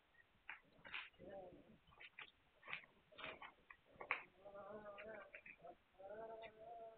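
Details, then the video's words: Hungarian Vizsla puppies, 9 March 2021. Sharp chirpy squeaks alternate with short nasal whines, and a sustained layered whimper closes the stretch. Soft handling noises sound between the cries. "Magyar Vizsla Welpen"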